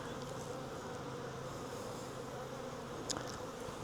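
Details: Wild honey bee swarm, hanging from a tree branch, being collected into a nuc box; a dense, steady buzzing hum centred low and mid pitch, with a few brief clicks and taps near the end.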